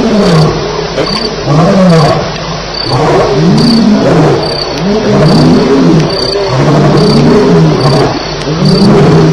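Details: A nighttime lion fight recorded at Elephant Plains on 9 July 2010, about 2:11am. Rough, rolling snarls arch up and down almost continuously, several voices overlapping, with regular high cricket chirps throughout.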